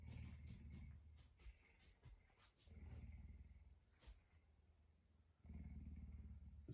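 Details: Pet puma kept indoors, waking its owner around 5 a.m. Deep, low rumbling, pulsing in three bursts separated by quieter gaps, with a woman's soft voice nearby.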